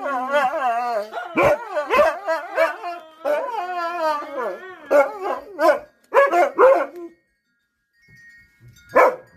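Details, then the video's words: Husky 'singing' in a long run of wavering, harmonic howls that bend up and down in pitch, broken by sharp yips and short vocal bursts, fading to near silence before one last brief call. "Singing the song of our people!"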